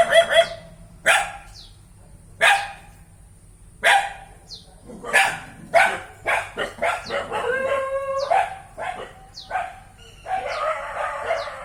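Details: Single dog barks spaced a second or more apart at first, then quickening into dense volleys of barks, broken by a long, level whining note around eight seconds.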